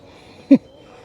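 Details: On an evening walk near Janki Setu, Rishikesh, as winter begins, an Indian muntjac gives a single short, sharp alarm bark, taken to mean a leopard is somewhere near; it then keeps calling.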